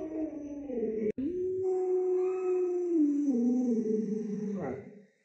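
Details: Sustained howling from Luoluo, a household Alaskan Malamute: one unbroken, mid-pitched tone lasting about five seconds, with a brief dropout early on and a step down in pitch near the end before a final upward flick.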